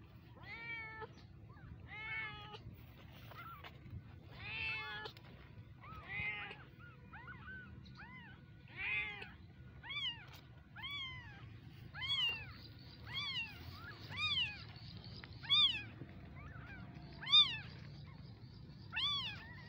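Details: Baby kittens meowing repeatedly, high arched cries coming in clusters at first, then single clear meows roughly every second, growing louder toward the end over a faint low hum.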